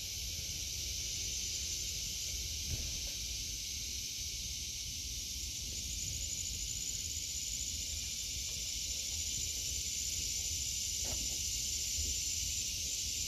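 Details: Cicadas fill the air of a vegetable garden in August with a steady, high, hissing drone that never pauses.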